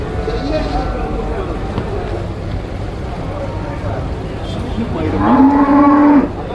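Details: Young water buffalo being sold at a crowded market gives a single loud, level bellow about a second long near the close, preceded by steady babble of voices and market noise.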